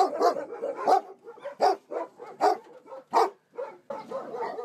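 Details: Caged puppies in Namyangju, South Korea, labouring to breathe, yelp in quick bursts of sharp, high yips and whimpering barks, roughly one every second, some overlapping.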